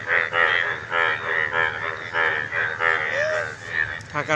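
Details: Frogs in chorus give rough, buzzy croaks repeated about twice a second, all starting and stopping together, throat sacs swelling on both sides as they call, with a voice talking nearby.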